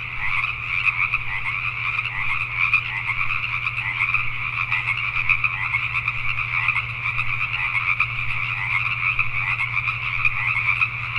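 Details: Dense chorus of Pacific tree frogs at night in Richmond, British Columbia, Canada; countless croaking voices blend into a constant, buzzing pulse, accompanied by a steady low-pitched hum in the background.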